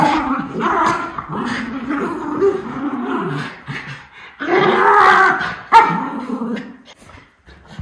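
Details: Miniature Schnauzer Lucky growling loudly while playing with his brother Levi indoors, December 20, 2021: harsh, continuous snarling growls with rising, yelping edges, in two long bouts separated by a short pause, vocal and fierce-sounding but playful.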